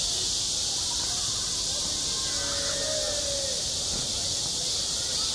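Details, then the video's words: Cicadas on a school playground in summer keep up a constant high sizzling drone; below it a faint drawn-out tone and some quiet background voices can be made out. "한 여름 운동장에서 매미가 울고 있다"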